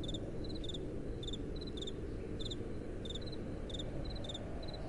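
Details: At night, crickets chirp amid gentle wind: two slightly different high chirps seem to alternate, each in quick double pulses, above a dense low wind noise.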